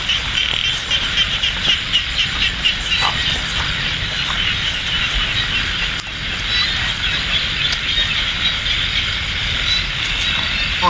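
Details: Frog chorus in light rain at Ban Na Suang, Det Udom, Ubon Ratchathani province, recorded while people hunt frogs. Many callers give a continuous shrill, pulsing drone, with a few sharp knocks and handling sounds mixed in.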